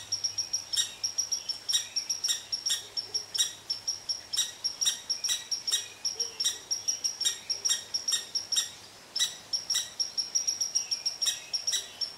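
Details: Irritable red squirrel ranting at an Eastern Cottontail resting under its favourite tree: a steady run of sharp, high chirping barks with a piercing tonal edge, pulsing several times a second for the whole stretch, with barely a pause.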